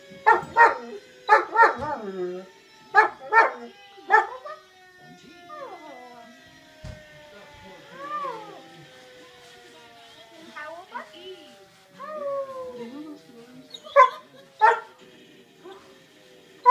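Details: German Shepherd reacting to an emergency vehicle siren with short barks at the start, then bending, wavering howls over a continuous descending siren tone, more barks near the end.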